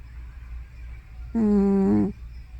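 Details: Hana, an old tortoiseshell cat over about 15 years, voices a single short, wavering, tonal groan while asleep at home, between snore and sleep-talk, against a quiet, steady low hum.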